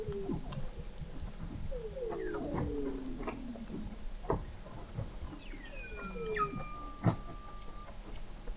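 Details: Under sea ice in McMurdo Sound, Antarctica, Weddell seals recorded in November 2017 at an underwater observatory 21 m deep: overlapping descending chirps and glides, a long falling whistle near the end, many seals calling against a hissy background.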